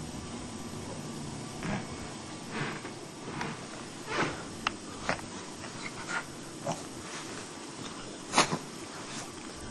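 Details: Maggie, a dog, rolling around during a sneezing fit that lasted about thirty minutes; short sharp bursts of sneezing and snorting come every second or so, with a stronger burst near the end against quiet room hum.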